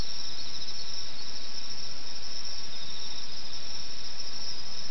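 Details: Night insect chorus in rural Okayama, Japan, 2005. A continuous, piercing high-pitched shimmer of many overlapping trills runs without pause, and no birds or people are heard.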